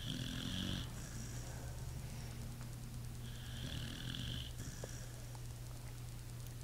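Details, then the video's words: Pit bull snoring in its sleep: rough, buzzing snores recur every few seconds, each breath with a hissing edge, under a continuous low hum. "Pit bull snoring"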